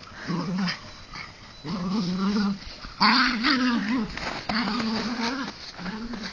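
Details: Playful rope tug-of-war between Bizsu, a Jack Russell Terrier, and Lujza, a Mallorcan Bulldog; a series of throaty, undulating growls, one louder and harsher burst at the midpoint, with brief gaps between.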